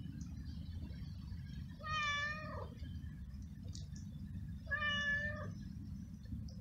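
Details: Very hungry street stray cat, out in the rain, meowing while eating flying ants: two drawn-out, slightly wavering harmonic meows about three seconds apart over a constant low rumble of rain or traffic.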